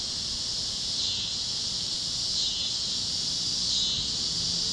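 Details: Cicadas chirping over Kansas fields at sunset on the great plains: a high hissing chorus rising and falling in slow waves, with a quiet low drone beneath.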